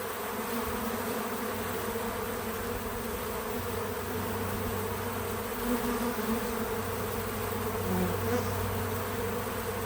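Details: Bees crowd a feeder outside on a small farm, producing an unbroken buzzing hum with layered pitches and gentle rises in volume, a deeper sustained tone running through most of the stretch.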